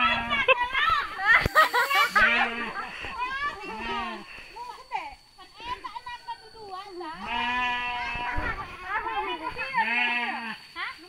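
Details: Sheep mating in Sirna Rasa village. Several short, even bleats are repeated among constant human talk and children's voices.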